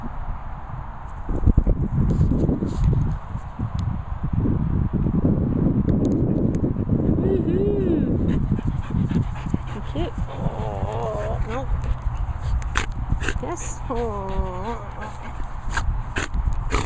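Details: Cassie, a Border Collie, lets out high, wavering whines in rising and falling harmonic bursts late in the recording, after a stretch of low rumbling handling noise, with a person talking throughout.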